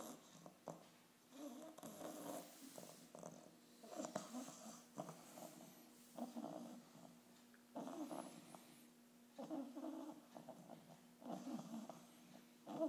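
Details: An 8.5-week-old English bulldog puppy snores during its first vet visit, in rough, rasping bursts, each breath rattling in a steady rhythm.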